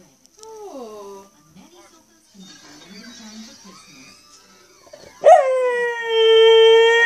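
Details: Roxy, a Cocker Spaniel, "sings" along to R2-D2, giving a loud, sustained, tonal howl after a stretch of casual human speech.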